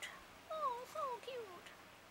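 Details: Puppies at play give three short whining calls, each sliding downward in pitch, spaced about half a second apart, over a quiet background.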